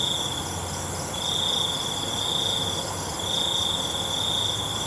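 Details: Crickets calling at night, with sustained high buzzy trills broken by short gaps, layered over a continuous shrill drone of more distant insects.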